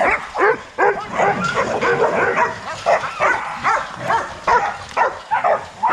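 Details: Young Rottweilers at a kennel, out in their exercise yard, giving short, sharp barks and yips in rapid, uneven bursts, roughly two or three per second, with overlapping voices.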